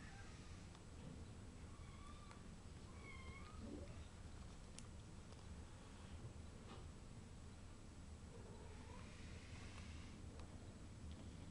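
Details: British Shorthair kitten playing with a bug, uttering several brief thin meows, some rising and some falling, spread across the recording, with faint clicks and a constant low background hum.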